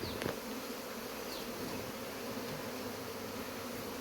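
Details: Honey bees at a hive that is being removed, producing a dense, continuous droning hum with a steady low band, unbroken for the full length, with a few faint clicks and taps near the start.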